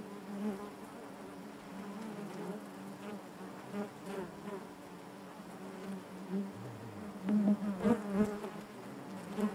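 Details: A softer, even drone from honey bees inside their hive, with rich harmonic layers, then a cluster of louder close buzzes and small knocks toward the end.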